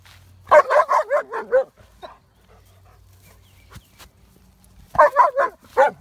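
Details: Dog barking at a horse before being sent into the house: a rapid burst of five loud barks, a quiet pause with a faint hum, then another fast run of about five barks.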